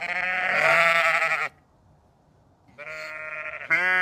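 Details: Sheep in a countryside field give loud, wavering bleats, one long cry followed by shorter ones after a pause.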